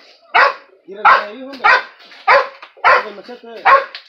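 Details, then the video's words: A dog confronting a skunk barks six times in steady succession, roughly every 0.6 seconds, sharp and loud, with a whining tone between barks; excited Spanish shouting follows. "Perro vs zorrillo"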